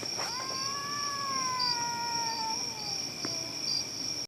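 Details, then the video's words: Cats caterwauling with a horrible noise: a brief rising onset swells into a long, steady, slightly falling moan, then a faint tail-off and a click, accompanied by a constant shrill insect-like hum. "Cats making horrible noise..."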